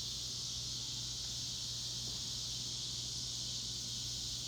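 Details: Ozark cicadas in North West Arkansas producing an intense, steady high buzz without pause, a constant shimmering hiss over a quiet low background hum.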